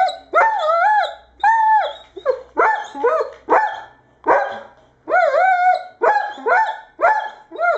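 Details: Irish Setter dog giving a rapid series of high, tonal yelping barks, roughly ten in eight seconds, each bark short with a bending, whining pitch and strong ringing overtones; no other sounds stand out.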